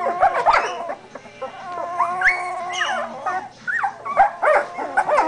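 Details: Several 17-day-old Doberman Pinscher puppies whine and squeal together, rising and falling cries overlapping, with short yelps and little bursts between longer drawn-out whimpers.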